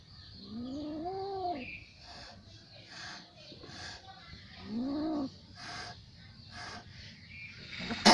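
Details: Little cat in an angry mood giving drawn-out, arching meows, two near the start and another around five seconds, each rising then falling, with soft rustling and background hiss between them.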